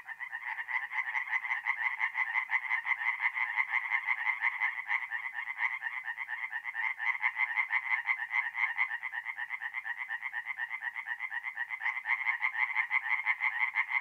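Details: Dense chorus of tree frogs singing at a nighttime forest pond in north-east Italy, mid-April: overlapping rapid croaks merge into a continuous rattling pulse for fourteen seconds, with no other sounds.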